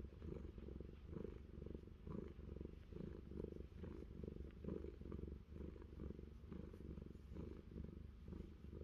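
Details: Low, steady purring from Fluffy, a cat living on an orchard in New Zealand, as its ear gets scratched; the rumble throbs in regular waves a little faster than one per second, with light scratching ticks.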